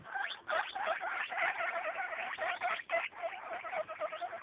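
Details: Baby guinea pigs eight days old give rapid bursts of bright, harmonic squeaking, the notes tumbling over one another in an uneven, busy rhythm.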